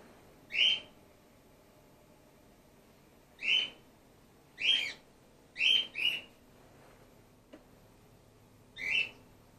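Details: Grey-headed flying-fox pup named Gwickle, in care and support fed after her mother was trapped in an empty swimming pool; six high, sharp squeaks come at uneven intervals, two of them close together.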